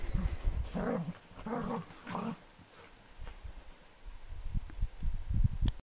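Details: A Cardigan Welsh Corgi in a fit of excited zoomies gives three short, throaty, grumbling growl-barks, each under half a second, about half a second apart; soft thumps and scuffling follow in a quieter stretch.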